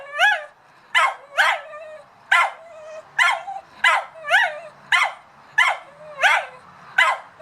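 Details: A dog barks at a cat in a steady series of high, ringing yaps, each with a rising-then-falling squeal, repeated about every half second to second over seven seconds, with faint low background rumble.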